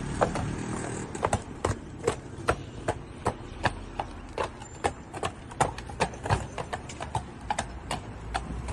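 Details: Horse hooves clip-clopping at a steady walking pace, sharp knocks about two to three per second over a low rumbling background with faint noise throughout.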